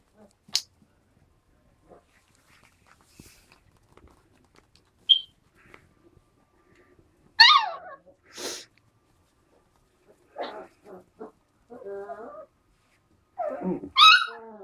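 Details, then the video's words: Four-week-old malamute-husky cross puppies wrestling in play: scattered thin, high yips and squeaks, a few brief whiny cries, and long quiet stretches with faint clicks and shuffling. "alaskan malamute/husky pups play fighting"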